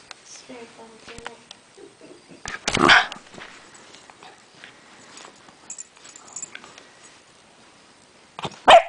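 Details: West Highland White Terrier kept as a pet, giving two loud, sharp barks about six seconds apart, the second right at the end, with faint speech and soft household noises in the quiet stretch between.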